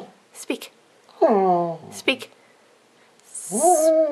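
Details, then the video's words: Lilly, a dog, singing on command for a Christmas recording: drawn-out, tonal whining howls, the second rising then holding steady, between a person's repeated calls of "speak" indoors. "Christmas singing lilly 2!"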